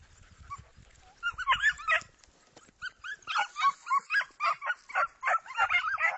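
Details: Segugio Italiano voicing rapid, ringing yelps that rise and fall in pitch, a short burst then a steady series of about two cries per second, over faint low background rumble.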